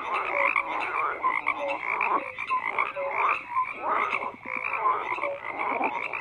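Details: Dense chorus of croaking frogs, rapid grating pulses layered with brief tonal blips at lower and middle pitch, loudness pulsing in irregular waves under a steady higher band.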